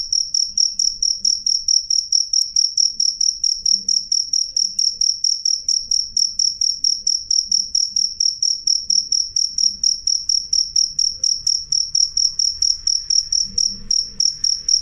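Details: Loud, clear cricket song: a shrill high-pitched note broken into rapid even pulses, roughly four each second, running unbroken throughout with a faint upper overtone and light low background hum.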